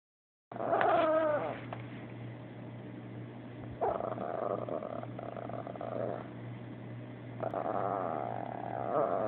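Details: Abbie, a female Chihuahua, complaining after a Yorkie named Sebastian took her toy: a run of wavering, moaning whines with a grumbling edge, rising and falling in pitch, pausing briefly between bouts, over a steady low electrical hum.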